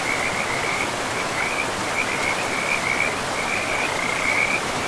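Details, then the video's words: Frogs by a river in a pristine forest, calling in quick high-pitched trilled bursts that follow one another almost without pause, layered over a steady rushing hiss of flowing water. "River and Frogs sleep sounds"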